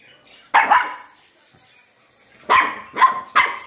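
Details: A three-month-old Lhasa Apso puppy gives four sharp, high-pitched barks, the last three in quick succession.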